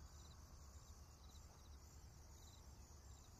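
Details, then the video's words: Insects calling on a countryside morning in a rural natural setting with grass and trees: steady high shimmering trills in two bands with a faint pulsing rhythm, over a constant low rumble. "田舎の朝 虫の声"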